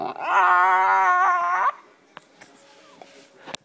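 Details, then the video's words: Black Labrador Retriever puppy vocalizing loudly from under a couch; one sustained, slightly wavering high whine-howl lasting under two seconds, then a man coaxing "come on" with small knocks. "Black Lab Puppy Cabo Talking Under The Couch"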